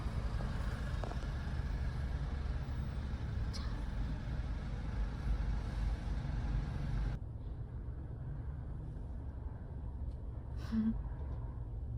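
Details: Low engine and road rumble from vehicles fills the first seven seconds, then drops to a quieter hum with a faint click near the end.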